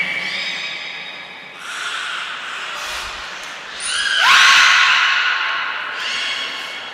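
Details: Captive beluga Niko at Port of Nagoya Public Aquarium, filmed in training on 25 February 2024, gives a run of tonal whistles: level tones, then a swelling upward-bending squeal near the middle and another rising note at the end, with indoor echo.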